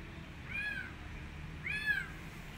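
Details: Rescued street kitten, wanting to return to the streets and not eating, gives two clear, tonal meows about a second apart, each rising then falling, over a faint low hum.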